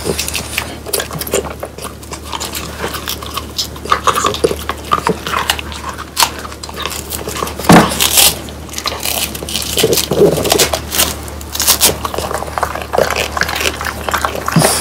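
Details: French Bulldogs Pang, Kun and Ppo eating crispy dried whole quail with bones: scattered crunching bites, soft gnawing and occasional louder cracks spread irregularly over the stretch, with quieter gaps of slow chewing between them.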